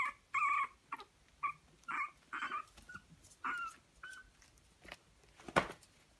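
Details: Young Pomeranian (Zwergspitz) puppies from a Swiss breeding kennel give a run of short, high yips and whimpers, roughly every half second, with a sharp knock near the end.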